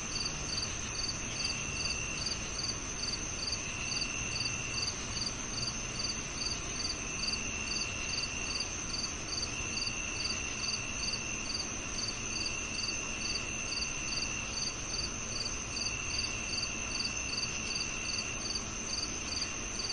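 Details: Crickets chirping steadily, short high pulses repeating rapidly and evenly throughout, over a continuous high insect drone and a dense hiss of background noise.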